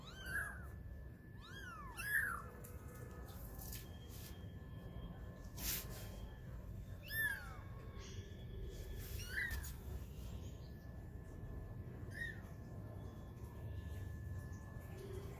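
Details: Young kittens, 20 days old, at play while learning to walk, make scattered high falling mews across the stretch, with occasional knocks and clatters between calls.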